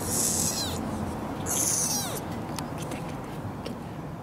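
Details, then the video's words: A roughly three-week-old kitten, apparently the smallest of a litter of four born to a semi-feral mother, gives two thin, very high-pitched mews about a second apart while being handled, over a steady background hiss. "子猫！発見！鳴き声のかわいい野良猫子ネコ4兄弟の末っ子？大きくなれ！"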